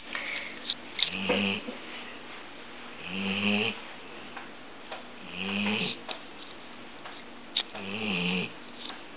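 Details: Yellow Labrador Retriever female snoring while sleeping with her eyes open indoors, briefly disturbed as a child walks by: four rasping, throaty snores, one roughly every two and a half seconds, each a breathy rising-and-falling rattle.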